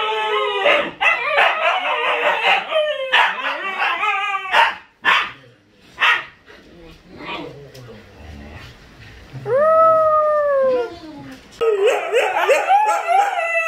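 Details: Siberian Huskies Luna, Gizmo, Arya and the puppies trade choppy howls and yips, fall quiet briefly with low murmurs, then one arching rising-and-falling howl before the chorus bursts back in.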